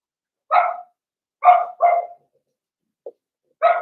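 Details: Seven-week-old blenheim Cavalier King Charles Spaniel puppy barking in a series of four high, bright yaps with a tiny squeak between them, inside a quiet home puppy pen holding a litter of five.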